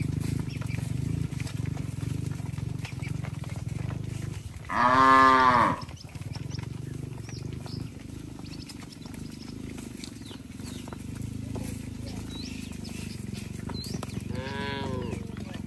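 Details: Herd of tame cattle walking back to the shed in a village, calling to each other: one strong, rising-then-falling moo, later a faint distant answer, over a low rumbling background and occasional bird notes.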